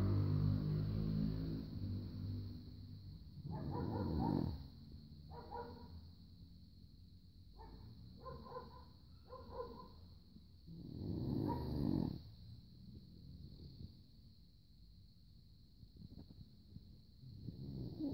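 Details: Bruno, a sleeping Rhodesian Ridgeback, gives low rumbling snores with several shorter breathy snorts between them, set against a constant high-pitched electrical hum and quiet background rustling.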